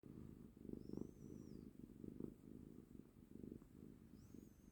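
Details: A cat purrs in a steady, low rumble that swells and fades with each breath, roughly every second. A faint, high, thin whistling tone drifts in the background.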